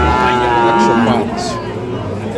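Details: At Ambari market in Parbatipur, Dinajpur, Bangladesh, 11 July 2025, a fattened Sahiwal bull calf gives a droning, slightly falling low while people talk close by.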